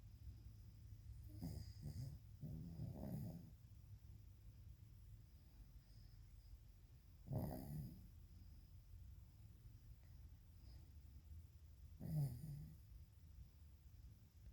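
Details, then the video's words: Sleeping dog snoring loudly enough to wake its owner; low, rasping snores come in spaced bursts roughly every four to five seconds, with quiet breathing between and a steady low background hum. "DOG SNORING LIKE HE PAYS BILLS. WAKING ME UP"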